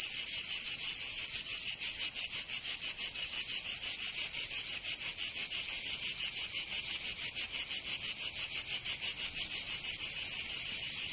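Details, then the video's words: Shrill cicada chorus of a Provence summer in southern France, a steady high buzz with fast, very even pulsing about three times per second, unbroken from start to finish. "Canto Cigarra 🦗 [ Escuchar les cigarras en verano 10 H]"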